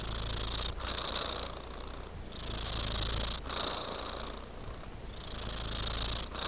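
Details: A tabby cat purrs in an even low drone, with airy breath noise surging and fading in cycles of about two to three seconds and brief gaps between breaths.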